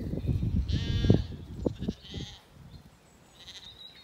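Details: Zwartbles lambs in an orchard in County Kilkenny, Ireland, on an evening after weaning, settled and grazing; a short bleat rises over low thumping and rustling close by, followed by fainter calls.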